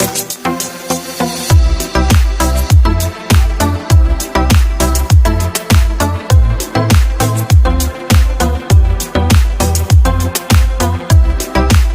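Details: Electronic house-style music with a punchy repeating bass drum and layered synth chords runs throughout, with nothing from an animal heard.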